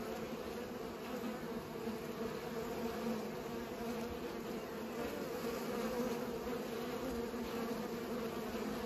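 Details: Bees busy pollinating make a thick, level hum, low tonal bands holding steady from start to finish with slight swells in loudness.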